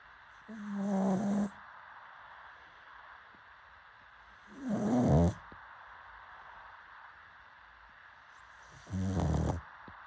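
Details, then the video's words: Pug snoring: three slow, rasping snores, each about a second long and spaced roughly four seconds apart, with a low rumbling buzz and faint tonal whistle inside each breath, near silence between them. "Pug Snoring"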